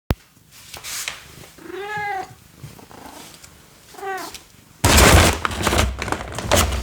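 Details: Domestic cat playing with a box: two short, rising-then-falling meows about two seconds apart, followed by loud rustling and scratching against the cardboard.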